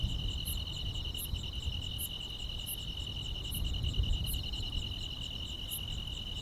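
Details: Grass insects on a quiet countryside summer night: a steady, high, two-toned trill runs throughout, with sharper pulsed chirps repeating about every 0.7 seconds above it, over a low background rumble.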